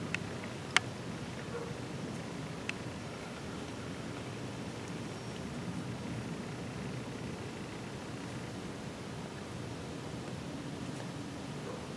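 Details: Steady outdoor hiss with soft rustling and two sharp clicks near the start, no animal voice.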